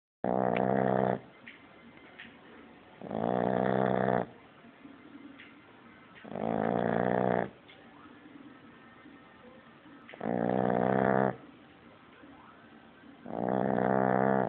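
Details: French Bulldog puppy sleeping and already snoring very loudly: long harsh rasping snores, each about a second long, repeating every three seconds with quiet breathing between, indoors.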